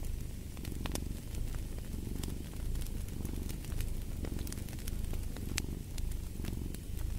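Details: Domestic cat purring steadily, a low rumbling drone that swells and eases with each breath roughly every second, mixed with sharp crackles and pops from a fireplace.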